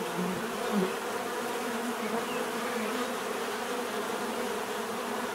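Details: Steady bee buzzing, a droning hum with a couple of closer insects briefly louder near the start before the even swarm sound continues.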